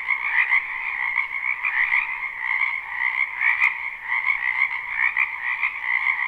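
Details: Spring frog chorus from a wetland behind a house, recorded live without looping: a dense, continuous wall of overlapping croaks and trills, bright and steady, with no individual caller standing apart.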